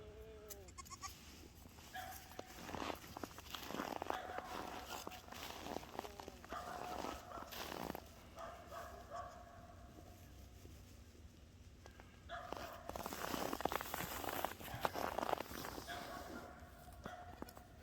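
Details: Boer goat kids, seven days old, playing excitedly while the mother watches from a distance: drawn-out wavering bleats near the start, around four seconds and again near fifteen seconds, amid broad rustling and wind-like noise.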